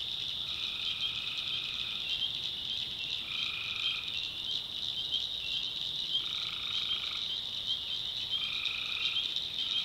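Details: Night chorus of tree frogs in a North Carolina backwoods swamp: steady shrill high-pitched buzzing throughout, broken every two to three seconds by resonant trilled notes lasting about a second.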